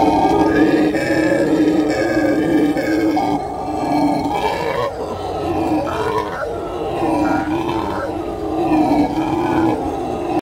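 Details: Howler monkeys howl in a continuous, gravelly roar with pulsing swells, a brief lull near five seconds, then renewed wavering calls to the end.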